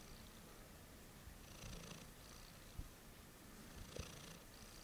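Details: Late-night purring from a cat, a continuous low rumble with a couple of soft breathy swells and faint clicks over a few seconds, indoors and quiet.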